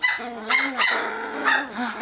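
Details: Wirehaired Pointing Griffon puppies in a litter, a female pup going over to harass her littermates: high, tonal whining yelps that bend up and down, four or five rapid cries within two seconds, with no other clear sounds.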